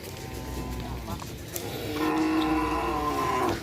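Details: Cattle at a Kerapan sapi bull-race training session at the Asemanis field, Pamekasan, Madura, East Java, Indonesia, where many big bulls practise; one steady, harmonic moo of about a second and a half follows a stretch of rumbling crowd noise.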